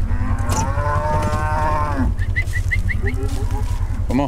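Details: Cattle of mixed Brahma, Hereford and Brangus herd during a round-up to sort calves: a long, steady harmonic moo lasting about two seconds, then a run of short high chirps repeated several times in quick succession.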